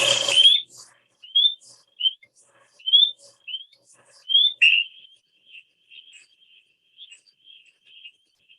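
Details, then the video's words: Spring peeper, introduced as the first sound in the night's cacophony: clear rising whistled peeps, high and sharp, about six strong ones spaced under a second apart, then fainter echoing peeps, after a short opening burst of noise. "So the first we hear is the spring peeper."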